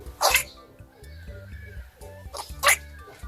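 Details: A domestic rabbit (Oryctolagus cuniculus) gives two quick, sharp sneezes a couple of seconds apart over soft music; sneezing is a reaction to nasal passages irritated by dust, pollen, hay or fur.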